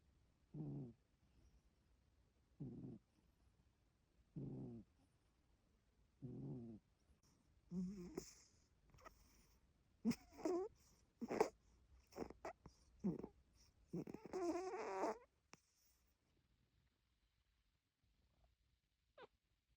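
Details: Sleeping cat snoring: soft, breathy snores repeat about every two seconds, then give way to faster, irregular, noisier bursts before the sound fades into near silence near the end.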